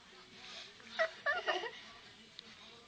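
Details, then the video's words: Shih Tzu puppies Mia and Suki, just woken up, let out three quick high whimpers in a row inside a small room, over a low background hiss. "Shih Tzu puppies .Mia and Suki just woken up ."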